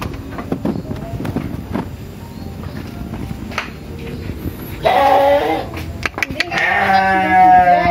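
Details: Sheep on an Indonesian village farm asking to be fed: several seconds of rustling and faint noise, then a short bleat and a longer, loud, quavering bleat at the end.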